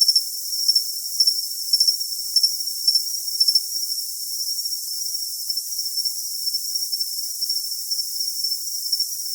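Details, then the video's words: Cricket with sharp, clustered chirps for the first few seconds, then settling into a softer, steadier high trill with gentle pulses. "Cricket Sound"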